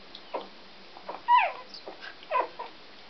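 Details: Newborn Scottish Terrier puppies, born 13 November, give short squeaky whimpers, one louder rising-and-falling cry in the middle and a few softer squeaks after it.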